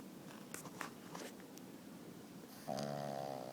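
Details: Bruno, a five-month-old Boston Terrier puppy, asleep on his owner's arm and snoring heavily indoors: soft raspy breathing noise, then a brief nasal, tonal whine-like breath near the end.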